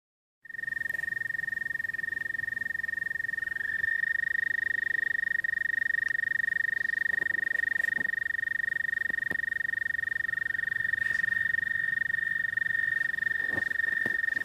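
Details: American toad giving its mating call: a long, steady, musical high trill held unbroken for about fourteen seconds, dropping slightly in pitch partway through, with faint clicks and background noise.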